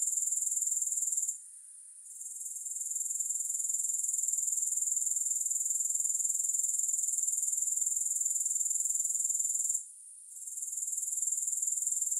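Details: Soothing grasshopper trilling with no music, high and rapidly pulsed, interrupted by two short silences, one early and one near ten seconds, each followed by the buzz building back up.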